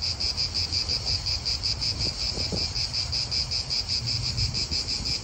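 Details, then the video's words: Italian park atmosphere dominated by cicadas: a shrill, rapidly throbbing buzz sustained for the whole stretch, with a few faint clicks and a low hum of wind and nearby cars. "Cicadas wind real atmosphere in an Italian park"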